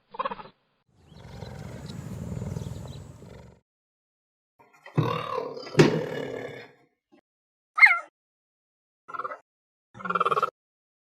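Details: Cheetah: a low rumbling growl lasting about two and a half seconds, then harsh noisy bursts, a short high sweeping chirp, and two brief nasal calls near the end, separated by silent gaps.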